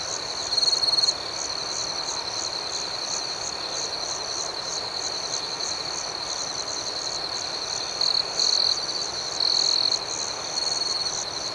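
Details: Nighttime crickets keep up a shrill, continuous chorus of rhythmic pulsed chirps over a steady high ringing tone, broken by a few short, louder trill bursts near the start and toward the end.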